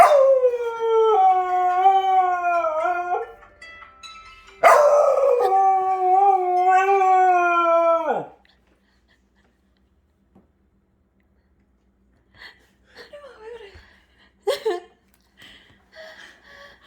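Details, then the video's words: Jindo dog named Daebak, howling only along with a Samsung 2013 default phone alarm: two long wavering howls that slide downward, each about three to four seconds, then quiet with faint scattered sounds. "삼성 2013 기본알람에만 하울링하는 진돗개 대박이"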